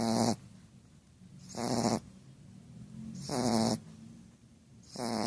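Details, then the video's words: Female Shar Pei snoring: loud rasping snores roughly every 1.6 seconds, each burst lasting about a third of a second, with quiet breathing between. "SHAR PEI PUCCA RONCANDO"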